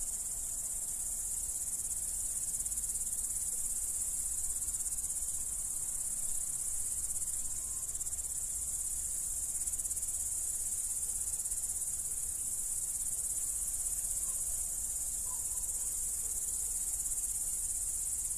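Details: Dominican Republic crickets keep up an unbroken high, shimmering trill for the whole stretch, steady in loudness, with a quiet low hum beneath.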